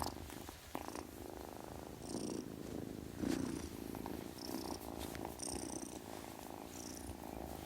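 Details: A kitten purrs in a low, even, pulsing rumble, with a few faint higher squeaks and rustles over the top.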